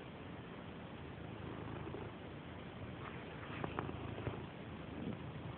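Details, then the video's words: Purdy, a female pet cat described as a loud purrer and an eager rubber, purring in a slightly dark room: a low, steady rumbling purr throughout, with a few faint clicks and taps around the middle. "Purring Purdy"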